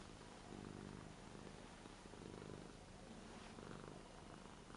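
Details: Eight-year-old Ragdoll cat, indoors, lying on a new bed and being stroked in an affectionate, clingy mood; a soft, steady, low rumbling purr runs throughout under faint background hiss.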